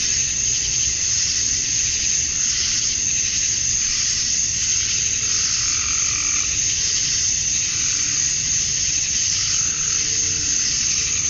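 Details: Male cicadas chirping to attract females at summer dusk in Georgia, USA: a dense, unbroken high hiss-like chorus, with faint wavering lower tones drifting in and out and a steady low rumble beneath.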